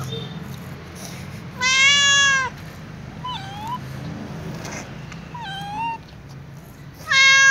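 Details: Meows of a calico cat begging for food while walking with other cats: two loud, long harmonic meows framing two shorter, softer bent mews, over low background rumble.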